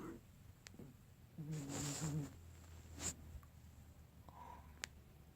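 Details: Sleeping dog snoring indoors: one breathy, rasping snort with a low rumbling undertone lasting about a second, followed by a sharp click and faint rustling in a quiet room.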